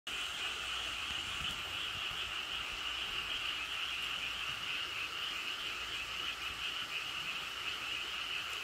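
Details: A dense frog chorus forms a steady, unbroken trilling wall of high-pitched calls at rice paddies beside the Cheonjinam valley stream in Toechon, South Korea.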